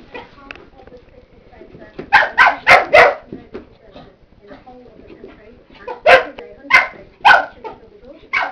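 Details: Playful barking from a nearly one-year-old Cocker Spaniel attacking feet and slippers: two quick bursts of three to four sharp, rough barks each, separated by a few seconds of quiet talking in the background.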